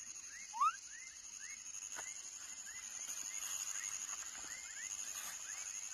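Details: A baby frog gives short, rising chirps repeated several times a second over a steady high insect drone; frog.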